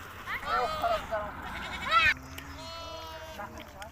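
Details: Hissar sheep ram in Tajikistan on a trip to summer pasture, 20 May 2023: wavering, harmonic-rich bleats rising and falling over about a second, overlapped by people talking nearby.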